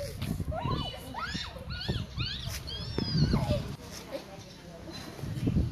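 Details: Siberian Husky giving a run of short, wavering vocal arcs, each rising then falling like a whiny howl, several in quick succession over about three seconds, then fading into low rumbling background noise.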